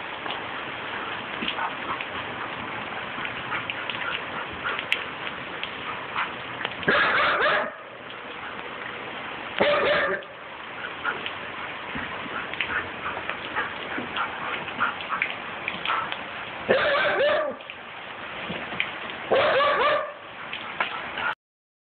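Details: Bear, a young male Siberian Husky of 14 months nicknamed Megatron, plays at a broom. Clustered barks arrive around seven, ten, seventeen and nineteen seconds amid continuous hissing, brushing noise like rain.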